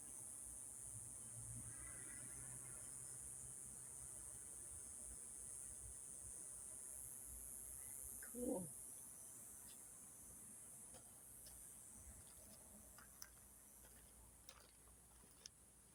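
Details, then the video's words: Cicadas singing at sunset in Yuma in the evening: a steady, high, shrill hiss runs unbroken throughout. A brief rising voice-like sound comes near the middle, with faint scattered ticks later on. "the sound of cicadas"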